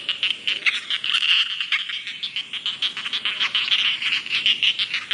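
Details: Rice field frogs calling together, a busy stream of short, sharp, high-pitched croaks pulsing quickly and irregularly throughout.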